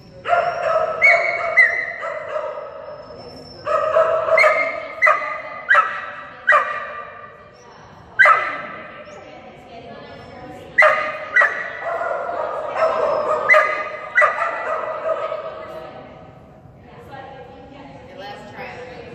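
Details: Kerry Blue Terrier Phenix, female, in an agility class on 11/12/2019 with a toy reward on contacts; repeated high, sharp barks in clusters across the recording, mixed with human voices.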